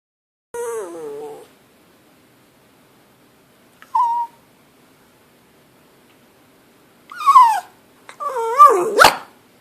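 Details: Pet dog begging for food while its owner eats lunch: four high, nasal whines, some wavering and others sliding downward, with short gaps between them. The last whine is the loudest, and the room is otherwise quiet.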